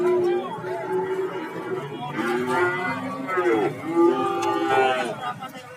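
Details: Cattle at the Warujayeng market in Nganjuk, Indonesia, moo in short overlapping calls, partly covered by people talking and general market bustle.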